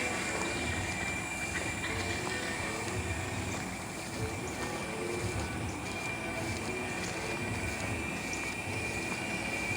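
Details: Giant cicadas (Quesada gigas) calling after rain in North America, a loud continuous droning buzz with a steady whine, unbroken for the full length, soon to end for the season.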